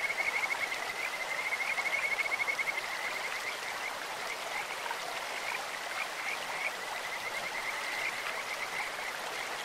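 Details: Kajika frog singing in a clear stream, a bird- or insect-like voice: a high, clear pulsed trill, strongest in the first three seconds, then softer and repeated again later over broad rushing-water noise.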